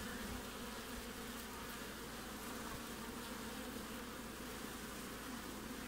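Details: Midwinter hive-front activity in Australia on 20 June: an even, continuous buzzing of many bees with a low humming tone and faint hiss above, steady from start to finish.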